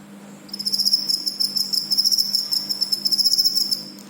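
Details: Cricket chirping in rapid trains of high, metallic pulses that start after a brief pause and continue almost without a break, over a faint low hum.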